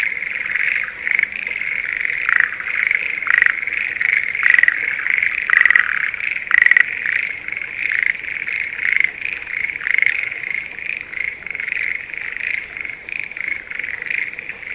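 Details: Breeding-season Schlegel's green tree frogs in a spring rice field near Sendai, Japan; rattling, knocking calls repeated roughly every second over a constant chirring chorus, with small clusters of faint high-pitched chirps in the background.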